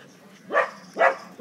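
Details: A cocker and a three-month-old pitbull, Kimbo and Mingo, pull against each other in a tug-of-war game; three short, punchy barks follow one another about every half second in a quiet room.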